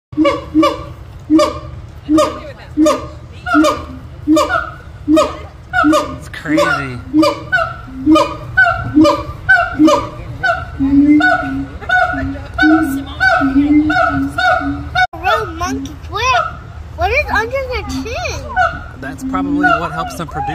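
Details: Siamangs at a zoo give loud, honking barks in a steady series that quicken and break into swooping, wavering whoops.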